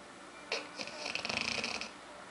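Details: Aila, a female dog nicknamed Lalá, snoring while asleep and dreaming: one rough, raspy breath lasting over a second, made of quick fluttering pulses, in a quiet room.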